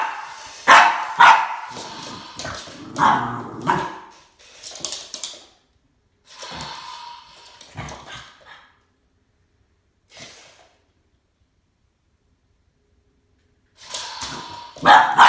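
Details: Boston Terrier named Max confronting a snake, barking in sharp broadband bursts, several close together in the first four seconds, then scattered barks with quiet gaps and a final pair near the end.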